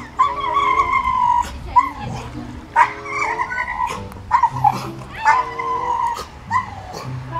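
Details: Pit Bull named Hewie reacting as his owner appears to be drowning; high, drawn-out whines and yelps, rising and falling, repeated in bursts over several seconds with some background music.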